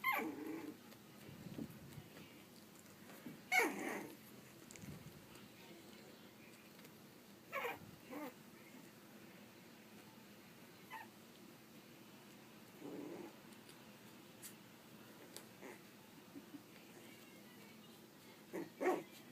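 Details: Pug/Dachshund mix puppies three and a half weeks old, heard indoors: scattered soft whimpers and short squeaky yelps every few seconds over quiet background rustling.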